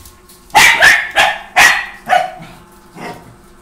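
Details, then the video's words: Playful Pomeranian puppy, an Indian Spitz named Tommy, gives a quick run of four high, sharp barks in under two seconds, followed by a softer, fading yip. "Pomeranian dog Indian Spitz dog Tommy playing"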